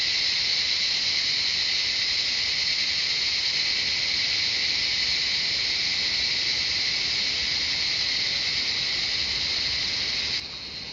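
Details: Cicadas singing in the jungle of Shivapuri Nagarjun National Park around Kathmandu, Nepal: an intense, unbroken high-pitched buzzing wall of sound that stays level, then drops abruptly quieter just before the end.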